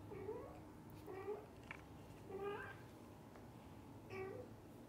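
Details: Domestic cat meows within a family of a dad cat, a mother cat and kittens: four short, tonal meows, each slightly rising then falling, spaced about one to two seconds apart over a soft low background hum.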